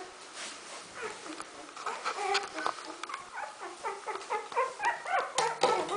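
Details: Fourteen-day-old Smooth Fox Terrier puppies in a kennel litter, whimpering and squealing in a steady run of short rising-falling cries, several per second, louder toward the end, with faint rustling beneath.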